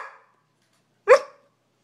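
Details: Bullmastiff puppy indoors trying to talk: one short, sharp, rising yelp about a quarter second long, following a faint tail of an earlier sound.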